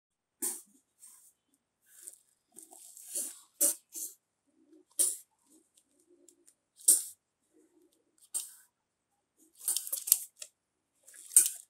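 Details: Tiny kitten named Siri hisses angrily at a Labrador called Simba, who backs away scared. Short breathy bursts of hissing come at irregular intervals, some single and some in quick clusters, with quiet gaps between.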